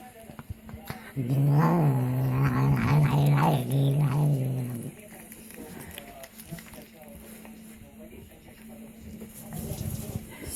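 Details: A cat making strange sounds while eating: a steady, low, buzzing hum-growl lasting about four seconds, slightly wavering, then quieter background noise until the end.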